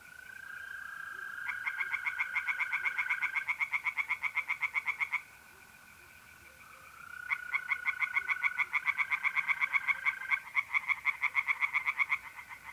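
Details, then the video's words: Pond tree frogs singing at night in April, north-east Italy: two long bursts of rapid, evenly spaced croaking pulses split by a short pause, with trilling mole crickets humming continuously behind. "relaxing singing tree frogs in pond and trilling mole crickets by night"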